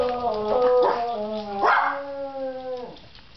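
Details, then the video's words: Mr. Buddy, a pet dog living near a fire station, howls along when the fire truck sounds. Two drawn-out, harmonic-rich wails slide up and then ease down, the second held longer before dropping away. "Dog Howling with Siren"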